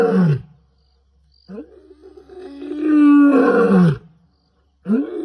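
A lion gives deep, drawn-out roaring groans that swell and fade in separate bursts.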